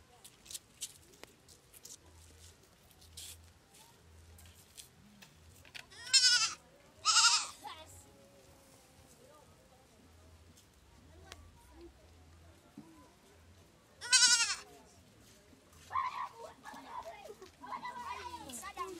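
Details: A young goat in Kampala, Uganda, gives loud, quavering bleats, calling for its mother.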